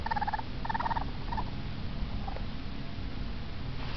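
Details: Two baby raccoons, afraid of being outside away from their den in the house, give short bursts of high, tremulous twittering chirps, clustered in the first second and a half, over a steady low indoor hum.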